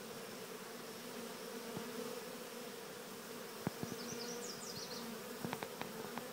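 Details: Honeybees from a swarm walking into an experimental Cathedral Hive keep up a constant low drone, while sharp clicks and taps break in and a short run of high twittering bird notes sounds midway.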